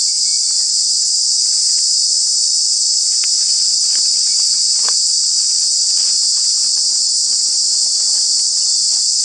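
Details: In summer in Kanha National Park, Madhya Pradesh, India, a cicada's loud, steady, high-pitched buzzing drone fills the air without a break.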